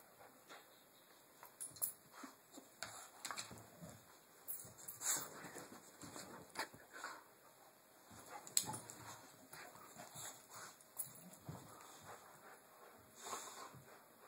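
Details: Two dogs, Chewy and Tucker, tussle over their rope in play: irregular breathy bursts and scuffling, with short higher squeaky whimpers scattered through, loudest around five and nine seconds, over a steady faint background hum.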